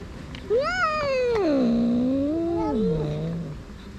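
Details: Grumpy stray female cat, fierce and wanting to attack, gives one long drawn-out harmonic yowl of about three seconds. It rises briefly, slides down into a low wavering growl-like moan and trails off.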